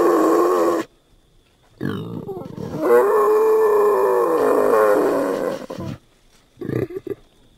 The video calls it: Vaddisznó hangja / Wild boar sounds